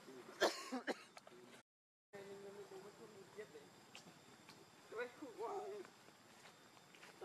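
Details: Hungry baby monkey Leo cries to its mother for milk: a held tonal whimper followed later by arched, wavering wails, with sharp handling clicks at the start and a brief gap of silence.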